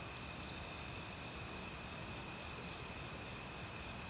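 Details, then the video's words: Forest crickets calling in autumn among other insects, a continuous high trill with a pulsed chirp near the start and again after two seconds, set against loud flowing valley stream water. "가을 귀뚜라미 소리"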